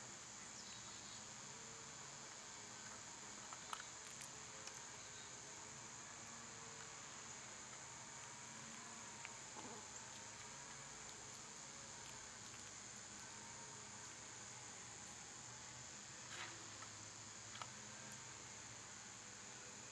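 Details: A continuous high-pitched cicada buzz fills a summer scene, flat and unchanging throughout. Faint scattered clicks and a soft wavering tone drift in the background.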